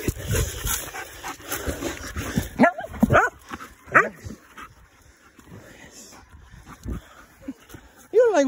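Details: Belgian Malinois during bitework training, giving short high whining yelps that rise and fall around the middle and again at the very end, with a man's voice calling "hey" and rustling handling noise throughout.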